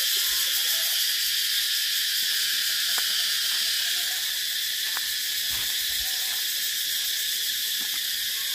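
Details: Cicadas calling in a loud, steady, high-pitched buzz that holds without break throughout, with a few faint ticks and clicks underneath.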